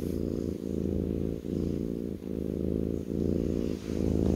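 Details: Low, continuous rumbling purr from a kitten lying on its owner's lap, pulsing in long swells separated by short breath dips about every 0.8 seconds.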